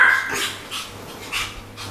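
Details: A Pomeranian about two years old, which has barked at the doorbell since it was young, gives a run of sharp, high yapping barks about half a second apart after hearing the bell.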